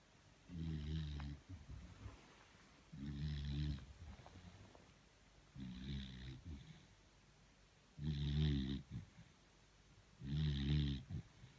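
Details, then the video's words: Beagle named Thor asleep and tired, snoring in a small room: low rumbling snores with a rough vibrating texture, each lasting about a second, arriving roughly every two and a half seconds, five in all, quiet breathing between. "Торун храпун! 😴Собака спит, она устала."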